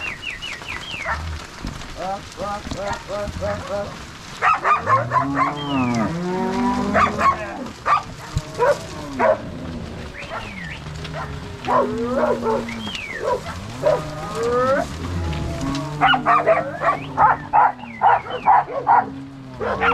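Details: Angus-Nelore crossbred cow herd on a farm in Ortigueira, Paraná, moved from corral to pasture by three cowboys and six dogs, March 16, 2022; many deep, bending lows overlap throughout, with bursts of dog barking, especially toward the end.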